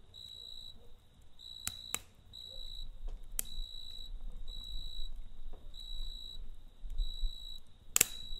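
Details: Cricket at night beside a campfire, giving steady high-pitched trilled chirps in bursts of about half a second with short gaps, while sharp pops and crackles from the fire and a low rumble sit underneath.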